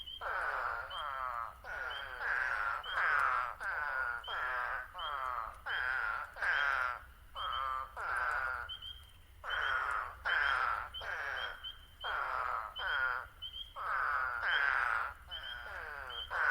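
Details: Eastern spadefoot toads in the New Jersey Pinelands give short, nasal, groaning "waaah" calls, repeated over and over in an overlapping chorus, with spring peepers also calling.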